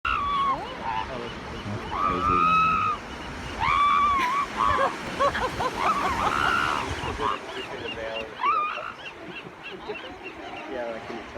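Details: Elephant seals at San Simeon give wailing, arched moans in overlapping bursts over steady surf.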